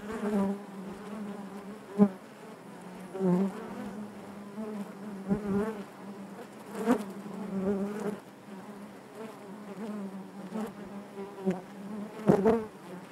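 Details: Honey bee colony in the hive giving a constant low buzz, steady in pitch, punctuated by sharp clicks and short bursts of louder wingbeat noise near two, seven and twelve seconds.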